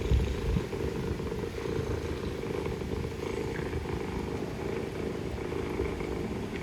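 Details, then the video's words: Purring mother cat addressing her kittens among Istanbul's stray cats; an even, throbbing low purr continues without pause, a short louder burst near the start, and urban traffic hum underneath. "Mother cat purring, mother cat talking to kittens"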